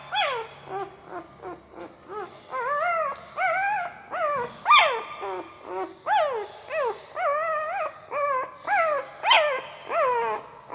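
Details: Puppy asleep, making weird mouth noises: a steady run of short, whiny, tonal squeaks that wobble up and down in pitch, roughly two each second, a few sharper yelps mixed in, over a quiet room.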